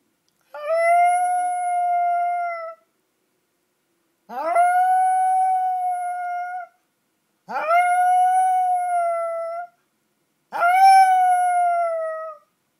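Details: Small pet Yorkshire Terrier howling in response to a monthly tornado siren: four long, steady, even-pitched howls of about two seconds each, each starting with a quick upward slide, separated by pauses of one to two seconds.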